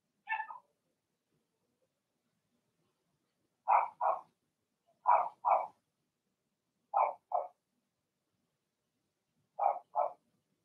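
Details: Cavalier King Charles Spaniel puppies, part of a litter of six Blenheim pups, barking in their puppy pen: a lone bark, then sharp double barks in pairs every one to two seconds, otherwise quiet.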